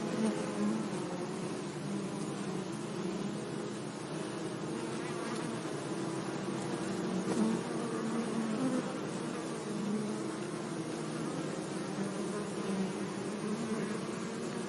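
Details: A sunny meadow full of bees buzzing among flowers: a long, continuous low hum of many insects, gently rising and falling in loudness, with close individual bees droning past every few seconds.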